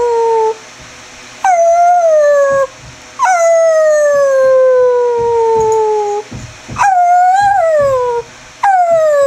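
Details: Chevelle the greyhound performing the roo and whine combo: a series of sustained, slowly falling howled notes, each beginning abruptly and gliding down over one to three seconds, separated by short pauses.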